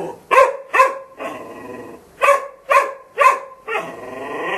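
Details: Golden Retriever barking in pairs and triplets, each run ending in a rougher, drawn-out growling bark, with harsh sustained vocalizing to close.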